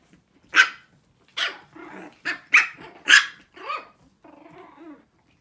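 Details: Shih Tzu puppies, six weeks old, compete in a barking contest with spaced, piercing single yaps, some carrying a rough growly edge, before the noise trails off into low murmuring.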